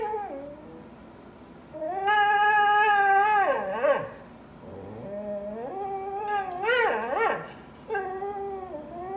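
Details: Dog crying: long, sustained, nasal whines that hold steady and then waver and fall, coming in three drawn-out bouts with brief breaks between them, inside a small room.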